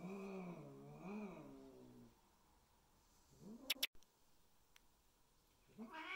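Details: Indoor domestic cats during an introduction of new Bengal kittens to adult cats; two long wavering, moaning caterwauls in a row, then a short rising yowl, a sharp click, and another rising call beginning at the end.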